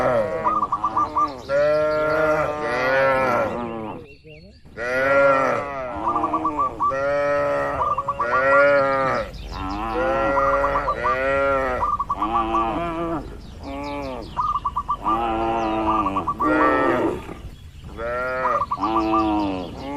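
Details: A herd of tame cattle out grazing in an expansive oil palm plantation. Dense, almost continuous overlapping moos sound throughout, with brief gaps. Short high whistled notes are interspersed among the lowing.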